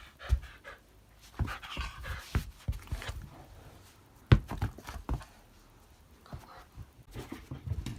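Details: Shiba Inu dog just out of the bath, panting in short uneven breathy bursts, with scattered louder puffs and shaking or rustling sounds indoors.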